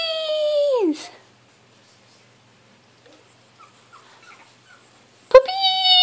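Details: Pug puppy finishing a high, steady whine that drops sharply in pitch, followed by near silence with faint squeaks, then a sudden start into another sustained whine.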